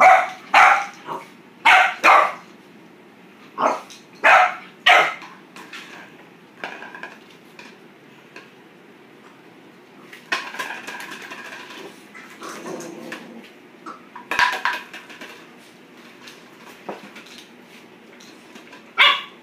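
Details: Playful Boxer puppy barks at a plastic bottle: a quick run of high, sharp yaps opens the stretch, then bottle rattling and scuffling, with more scattered barks later.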